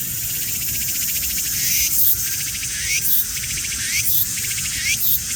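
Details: Cicada singing as it creeps slowly along: loud, high, rasping pulsed buzz in phrases about once a second, each ending in a quick rising sweep, over a constant shrill drone.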